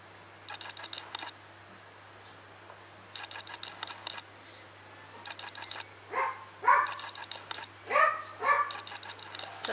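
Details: Doodley and Pipsqueak, two young male Havanese dogs: high chirpy yips early on, then a burst of sharp, yappy barks in quick succession in the second half, with a low steady hum in the background.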